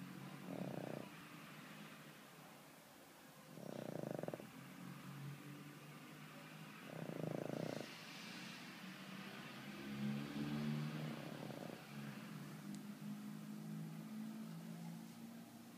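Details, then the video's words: Skol, a sleeping pug, snoring: rough, rumbling snores come roughly every three to four seconds, each lasting under a second, separated by quiet breathing and a faint steady background hiss. "Pug dormindo e roncando / Pug sleeping"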